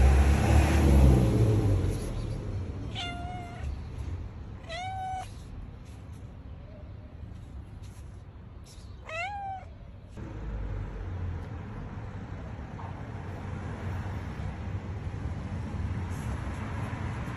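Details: Stray cat that turned up at a front door wanting to go inside, meowing three times, each meow a short rising then level cry, spaced about two to four seconds apart over low background rumble.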